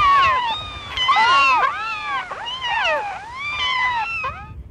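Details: Playful kittens frolicking on farm grass among dogs, rabbits, cows and mice, giving a run of soft, overlapping meows; several voices cry in arching rise-and-fall notes, one after another, with little pause between them.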